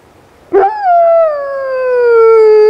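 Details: Black wolfdog Rosco P Coltrane howling in a city blizzard, one long smooth note that starts high after a brief rough onset and slowly glides downward.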